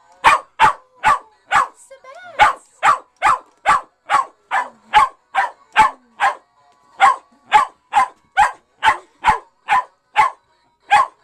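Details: West Highland White Terrier barking nonstop at a fake singing fish that plays Christmas songs. Sharp, clipped barks come about twice per second, with a brief break near the two-second mark, and drown out the toy entirely.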